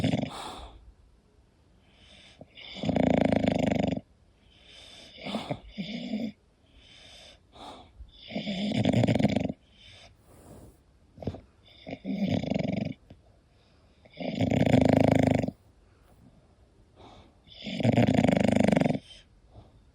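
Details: Sleeping English Bulldog snoring indoors: loud rasping snores about every three seconds, each a coarse buzzing inhale lasting roughly a second, separated by quieter breathing and small snuffles.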